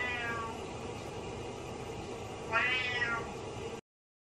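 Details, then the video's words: Butters, a pet cat, meows sadly while its owner is in the shower: a brief harmonic meow at the start, then a louder, longer drawn-out meow about two and a half seconds in, over a steady rushing hiss. "Cat Meows Sadly While I'm In The Shower"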